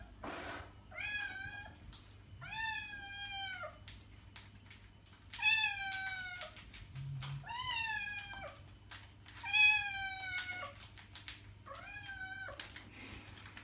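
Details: Domestic cat meowing, played to attract cats: about seven drawn-out, clearly voiced meows, each close to a second long and sliding slightly downward, separated by short pauses over a steady low indoor hum.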